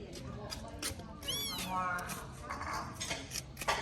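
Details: Small abandoned baby kitten during its first safe meal, giving a short high-pitched meow that rises and falls, with clattering handling noises and soft voices in the background.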